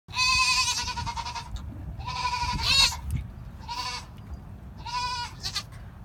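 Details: Mother goat giving birth bleats four times, each call a wavering, tremulous, harmonic cry lasting about a second, spaced roughly a second apart, over low background rumble.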